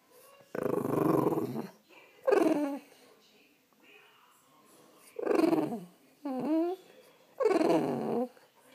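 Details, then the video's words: French Bulldog vocalising to wake its owner: five loud, drawn-out, throaty whine-grumbles with rich harmonics, several sliding downward in pitch, separated by short quiet gaps, heard indoors. "French bulldog wake up call"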